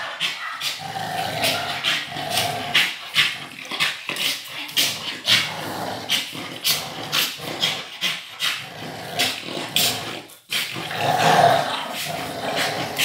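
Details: American pitbull and Staffordshire bull terrier tugging a toy in play: continuous throaty growling that swells and drops every second or so, broken by scraping knocks, with a louder, deeper growl burst near the end.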